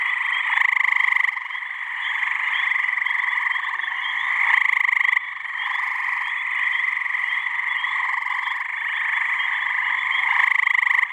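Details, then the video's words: Gray tree frogs (Hyla versicolor) in a spring pond or swamp in New Hampshire on a warm mid-May evening, males calling to attract mates. A dense, continuous chorus of overlapping pulsed trills, with louder nearby trills rising out of it every few seconds. "Gray Tree Frog mating call"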